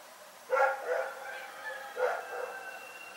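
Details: Rex, a dog barking in the night at Pyrga: a doubled bark followed about one and a half seconds later by another, each fading with a ringing echo.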